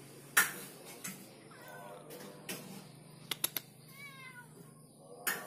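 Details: Orange cat hesitating to climb down a wall, giving two faint, short wavering meows about two seconds apart amid sharp clicks, taps and a low steady hum.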